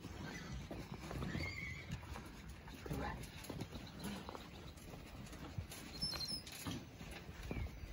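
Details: Quarter Horse and Appaloosa fillies and colts, born 2018 and 2019, called on a ranch to supplementary feed at a creep feeder; a short, faint whinny rises over steady hoof thuds and shuffling, with brief human speech.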